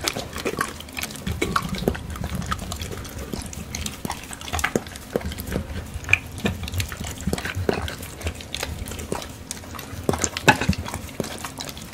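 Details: Wet chewing, crunching and lapping noises of eating fill the recording, with no animal calls. Sharp clicks and a soft low rumble run throughout.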